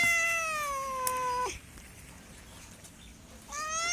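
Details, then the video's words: Pet cat giving one long, descending meow that falls steadily in pitch and stops abruptly, followed by two seconds of near silence before a second meow begins. "MEOWING MEOWING - CAT CUTES - CAT FUNNY - SOUND CAT - MEOW CAT 01"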